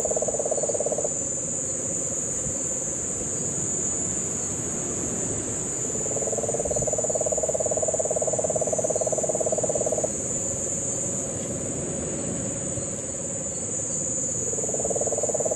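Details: Puerto Rican crested toad calling in Guánica Dry Forest, Puerto Rico, during the September 2007 rains, with cane toads in the background; long low pulsed trills lasting several seconds, over a constant high-pitched insect drone.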